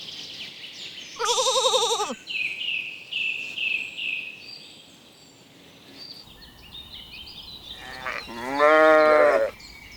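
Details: Two trembling bleats from sheep grazing leisurely in a spring meadow, one early and one near the end, each about a second long, with birds singing whistled phrases between them.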